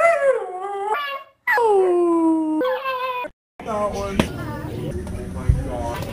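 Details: Siberian husky howling: several sustained, harmonic howls that slide downward in pitch and hold steady, separated by brief silences, followed by a noisier stretch with thumps and indistinct background sounds.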